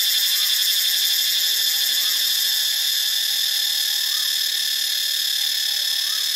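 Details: Cicadas recorded in Ubon Ratchathani, Thailand: a loud, steady, shrill buzz that fills the high range without a break, with a faint rapid pulsing along its top edge throughout.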